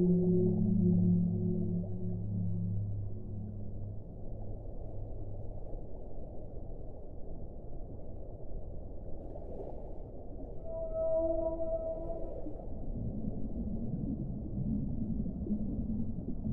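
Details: Whale song: low drawn-out tonal moans with stacked harmonics in the opening seconds, then a higher sustained wavering note midway and a broad low groan near the end, all over a steady dull underwater rumble.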